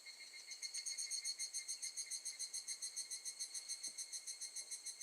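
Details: A steady run of bright, high-pitched pulsed beats from an evening cicada, higurashi, recorded in August 2018 at Gakujin no Mori campground, Tokushima, Japan, rising quickly in volume and holding an even rhythm.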